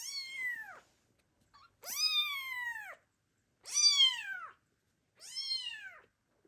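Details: Close, clear kitten meows calling for the mother cat who abandoned them: four long, drawn-out cries with rich harmonics, each about a second long and spaced roughly every one and a half seconds.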